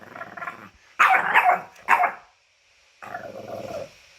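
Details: French bulldog making funny whining sounds and awkward noises: a soft wavering whine, then two loud rough yowling bursts, a short silence, and a final drawn-out moaning whine.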